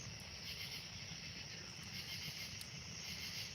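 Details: Steady high-pitched cricket chorus trilling without pause by a pool on a warm, humid summer night, over a faint low rumble; a bullfrog is heard in the distance; Cricket.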